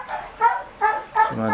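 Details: Shih Tzu puppies about to nurse from their mother after eating give three drawn-out, steady, high whines about half a second apart. A lower, rougher sound follows at the close.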